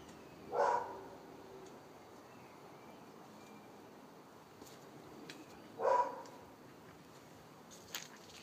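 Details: Dog in Wellingborough barking: two short, sharp single barks about five seconds apart, with a faint third sound near the end over steady low background noise.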